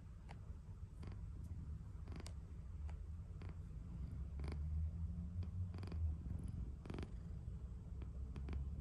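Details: Cat snoring while asleep, a continuous low, rough rumble that swells slightly in loudness midway, broken by occasional faint ticks and rustling.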